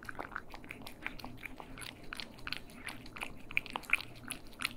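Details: Cats eating indoors in stereo, crisp crunching bites repeated almost three times a second in an uneven rhythm, with wet smacking between them and a low background hum.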